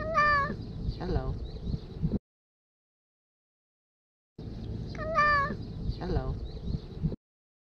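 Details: Homeless tabby cat named Taffy greeting its feeder with a speech-like "hello" meow. A short meow is followed by a quick second one, then silence, and the same two-meow pattern repeats. Light outdoor hum sits beneath.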